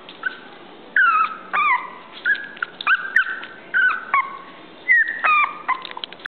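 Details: Toy poodle whimpering: a run of high, thin tonal whines, some sliding down and others held flat, coming in quick short bursts about a dozen times over six seconds, with no other sounds.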